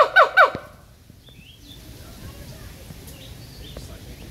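A siamang gives two loud, harsh barking notes in quick succession, each sliding downward.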